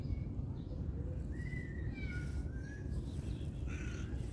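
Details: Cat being fed its favourite canned chicken food; a few thin, drawn-out meows with gently falling and wavering pitch, heard over steady low rumbling background noise.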